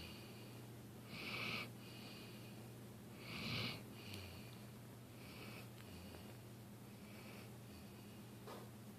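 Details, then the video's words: Dilly, a dog, snoring while asleep indoors: breathy, wheezy snorts come in short bursts roughly every two seconds, two louder ones early on, over a steady low electrical hum in a small room. "Dilly, The Snoring Dog"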